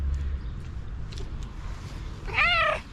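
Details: Stray cat begging for food from the woman adopting it: a quiet stretch, then a single clear, bending meow near the end.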